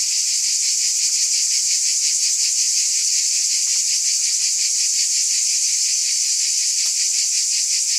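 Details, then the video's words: Continuous cicada buzzing, a bright high-pitched hiss with quick regular pulses underneath, steady throughout apart from a couple of soft clicks. "Scintillating Cicadas"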